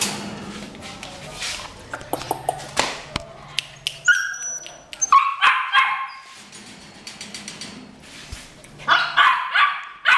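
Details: Female Rottweiler from 2017. Sharp knocks and clatter first, then a run of harsh, strained barks near the middle and another quick cluster of three or four near the end, with a faint low hum underneath.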